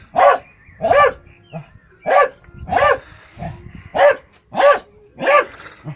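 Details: Jack Russell Terrier barking while playing football: a series of short, sharp barks, about eight in six seconds, fairly evenly spaced with brief pauses between them.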